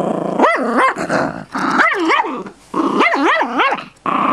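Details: Pet Chihuahua mix putting on a tough act while guarding a bone: close, loud snarling growls with wavering, rising-and-falling whiny tones, repeated in uneven bursts about twice every two seconds.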